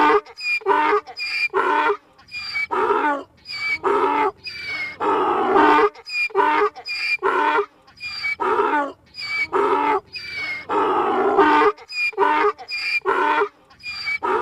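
A donkey brays in a long run of harsh, alternating hee-haw notes.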